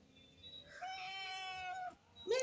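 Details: Domestic cat giving a long, drawn-out meow of about one second that rises then holds steady and tonal, followed by the start of a second sharp rising meow; quiet indoor background.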